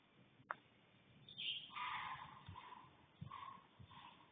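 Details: A bobcat in a backyard, watched by three deer, at about 6:33 am on 4 June 2025, gives a harsh, wavering yowl followed by shorter, nasal, repeated cries.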